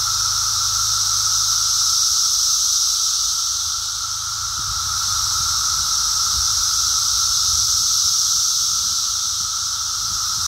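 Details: Massed Brood X periodical cicadas singing during the emergence, recorded walking on 02 June 2021; a constant shrill droning wall of sound with a high hiss, a lower steady tone and gentle slow rises and falls in loudness.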